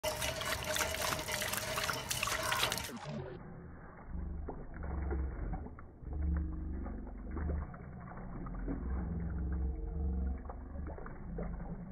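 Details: A burst of broadband noise gives way to muffled, low-pitched speech-like voices and watery sounds. No clear animal call is heard.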